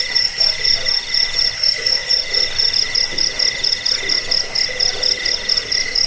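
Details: Several crickets in a recording for repelling rats, helping sleep and teaching songbirds: piercing high pulsed chirps in short runs, with a steady mid-pitched trill and softer buzzing beneath.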